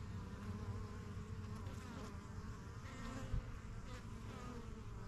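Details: Honey bees coming and going at a strong yellow hive in a backyard, kept since spring 2023; dense humming buzz with fluttering wingbeats and a sharp close pass just after three seconds.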